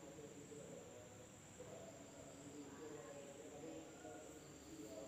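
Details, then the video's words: Insects calling at night in an Indonesian village: a flat, high, ringing drone runs without break, while quieter low-pitched warbles drift in and out below. "the sound of insects at night in the village of Indonesia SUARA SERANGGA MALAM HARI"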